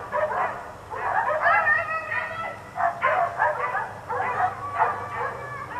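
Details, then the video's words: Dogs left outdoors all day, four of them, bark in ragged clusters of quick, harsh barks roughly every second, some yelping higher, with brief lulls between bursts. "4 Dogs Barking Allday"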